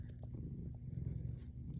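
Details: Pet cat called Yang-i, in winter, having crept somewhere warm: a steady low rumbling purr with a fast, even pulse, faint soft clicks on top.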